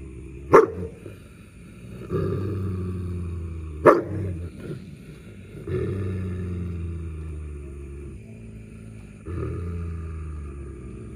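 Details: German Shepherd dogs quarrelling over a buffalo horn, one guarding the prize against the other. Sharp snapping barks break through repeated deep, throaty snarls that rise and fade in bursts every few seconds.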